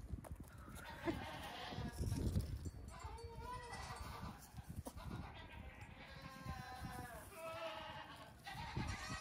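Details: Baby goats, the eldest close to two weeks old, playing and hopping outdoors on a farm in the morning, then lying in the sun. A string of short, shaky bleats from several kids comes in irregular runs over a constant low rumble.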